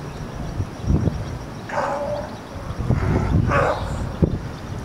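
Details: California sea lions on a floating dock at Monterey Fisherman's Wharf, California, young pups resting on mothers, March 21, 2013, second day of spring: two hoarse, harsh barking calls about two seconds apart over low rumbling background noise.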